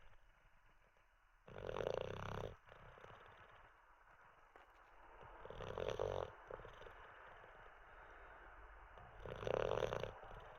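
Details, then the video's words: Teddy the Olde English Bulldogge, asleep after treats and a wee, gives three harsh, vibrating snores roughly every four seconds. Soft breathing fills the gaps. "Six minutes of a snoring olde English bulldog"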